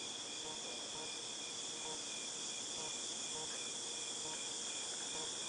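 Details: Cicadas fill the air with a dense, unbroken high-pitched buzzing drone, recorded in August 2018.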